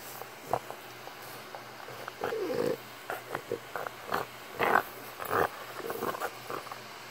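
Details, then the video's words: Deaf French bulldog grunting like a pig indoors: short, irregular snorty bursts, some rough and some briefly tonal, coming in quick uneven clusters with quiet gaps between. "Deaf French bulldog, Pearl Jam grunts like a piggy"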